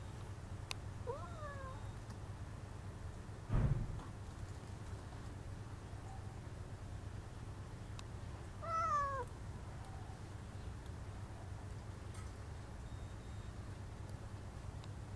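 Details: Domestic cat meowing through a window screen to get attention: two short, rising-then-falling meows about eight seconds apart over a steady low indoor hum, with a soft thump in between.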